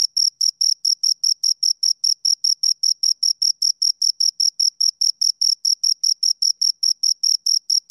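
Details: Rhythmic high-pitched chirps of two crickets, short scraping pulses repeated about six times per second without pause, clean and free of other sounds.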